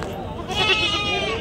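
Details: Bleat of red sheep at a livestock market, a shaky vibrato bleat starting midway and holding to the end, with people talking nearby.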